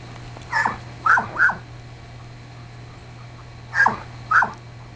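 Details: Border Collie up for adoption making high thin whines in two bursts, a pair then a pause then another pair, each cry short and slightly falling, with a constant low electrical hum behind.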